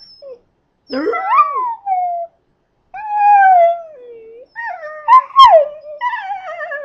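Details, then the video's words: Pet male Scottish terrier provoked into singing by its owner, giving drawn-out wavering howls that rise then fall, broken by short yelps and a whimpering break between phrases. "Duff Sings the Blues"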